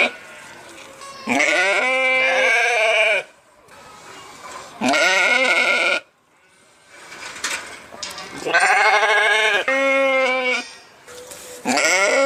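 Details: Sheep bleating: three long, harmonic, wavering bleats, each lasting one to two seconds, separated by quiet pauses, with a shorter bleat starting at the end.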